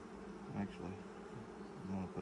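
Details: Honey bee colony hum during a hive inspection six days after nucs were installed: a low, continuous drone with a couple of louder buzzing swells as bees fly close.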